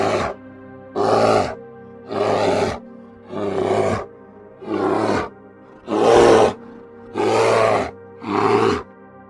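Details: Brown bear, an animal that plays much with its mother and siblings; eight rough, harsh roaring bursts, each under a second, repeated roughly every second and a quarter over a soft, steady musical drone.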